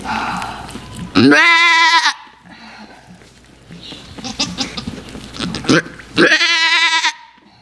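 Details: Blossom, a miniature goat on a farm, bleats while giving birth. Two loud, wavering, harmonic bleats, each lasting about a second, come roughly five seconds apart, with quieter rustling and soft voices in between.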